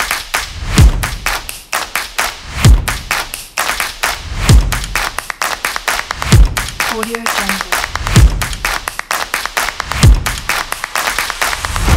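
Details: Music with a steady thumping beat about every two seconds, sharp claps and snatches of speech.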